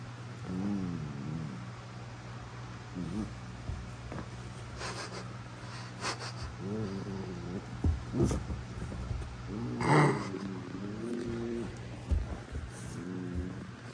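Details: Prisca, a female Basenji, puts on a tough act with little wild-dog-style squeals aimed at Dabi; repeated harmonic yodel-like squeals and grumbles arrive every few seconds, with thumps and scuffling of play between them.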